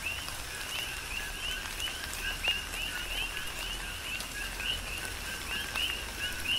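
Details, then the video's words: Rainy night-style chorus of coqui frogs recorded on the Big Island of Hawaii during tropical rain, rhythmic two-note calls with rising whistled endings from several frogs, some nearer and louder, amid falling raindrops. "Tropical Rain & Coqui"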